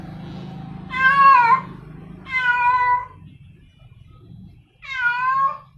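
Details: Three long, drawn-out, wavering yowls from a female domestic cat calling a male, over a steady low hum in the background.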